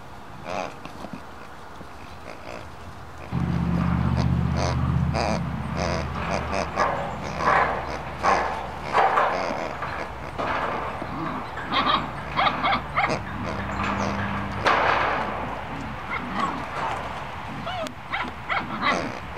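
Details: German Shepherd puppies of the W litter at play, giving bursts of short, rough yelps and barks in irregular quick runs, over a steady low droning hum that starts a few seconds in, with faint human voices.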